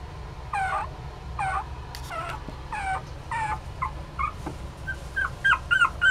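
A Poodle-Chihuahua mix puppy gives a run of thin, wavering whimpers and yips, several each second.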